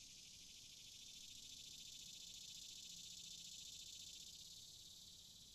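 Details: Continuous shrill cicada drone, an even high-pitched hiss with a fine pulsing texture, unbroken from start to finish and nearly free of other sounds.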